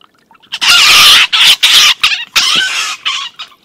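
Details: Two stone martens fighting on a livestream: an older, bigger marten beats up and drives off a young one. Loud, harsh, raspy screeching in several bursts of under a second each, broken by short gaps, with no other clear sounds.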